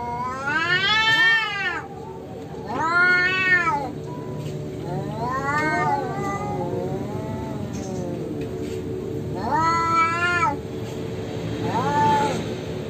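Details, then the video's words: Feral cats, an orange one losing, fighting naturally without human provocation; long wavering, harmonic yowls rise and fall in drawn-out bursts about every two to three seconds, with quieter moaning between them. "KUCING OREN KALAH BERANTEM !!!"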